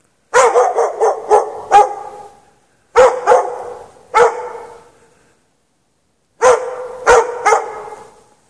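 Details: Dog left chained in the snow at night, no shelter, 3 March 2014, 8 PM to past 11:30 PM; a fast string of five barks, then two separate barks, a silence, and a closing trio, each bark trailing into reverberation.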